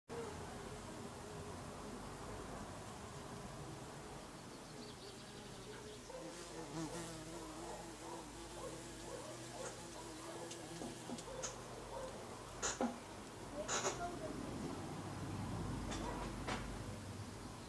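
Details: Bees buzzing in a steady, layered drone with several low hums that waver and shift in pitch, joined by sharp clicks and knocks late in the recording.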